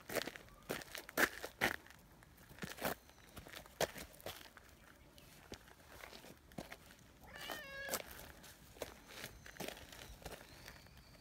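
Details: Nyahha, a brown tabby community cat, meows as it hurries over after being left a short distance behind; a short rising-falling meow with stacked harmonics near the eighth second, amid footsteps and rustling outdoors.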